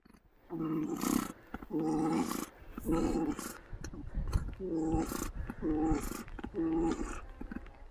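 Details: Male llamas calling loudly during mating, giving a series of about seven harsh, gurgling, nasal bursts, each lasting under a second and repeated roughly once a second, with soft rustling between them.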